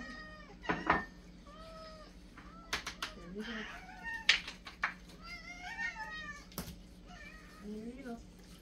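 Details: Excited housecats crowding at feeding time for daily pate, calling in many overlapping meows, some high and wavering, some short and descending, mixed with thuds and clatter from the frenzy and a constant background hum.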